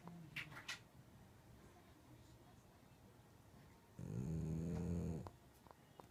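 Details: Shiba Inu snoring as it sleeps: one low, buzzing snore lasting a little over a second after a stretch of soft breathing and light background noise.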